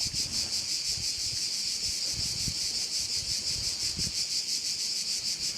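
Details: Crickets at a bay on Korčula, Croatia: a dense, shrill, high chorus pulsing about three times a second without a break, with low gusts of wind rumbling underneath.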